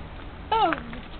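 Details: Pet dog Yume indoors, barking instead of sitting while a treat is offered; one short tonal yelp that starts high and slides steadily downward in pitch, over quiet room noise.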